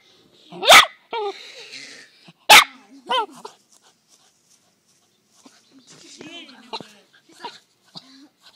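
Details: Dog barking at a captured gopher: two loud, cracking barks about two seconds apart, each followed by whiny squeaky tones, with a man talking in the background throughout.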